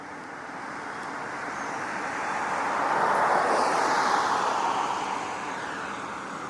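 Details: A broad wash of traffic or aircraft rumble swells and fades, with no animal voice heard.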